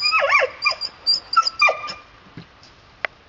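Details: Red Standard Poodle puppies playing outdoors with their father give high, thin whining yelps in quick sliding bursts, several overlapping in the first two seconds, then fading to scattered short squeaks and a final sharp click.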